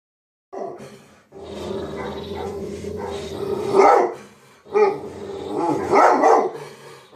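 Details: Chief, a dog barking at himself, gives a long low rumbling growl, then breaks into three loud harsh barks, the last pair close together.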